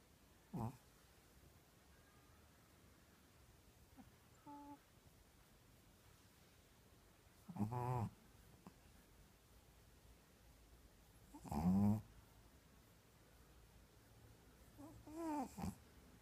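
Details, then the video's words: Shih Tzu dog snoring indoors, with four short rough snorting breaths spaced several seconds apart, each a throaty, wavering burst, and quiet stillness between them. "Shih Tzu snoring"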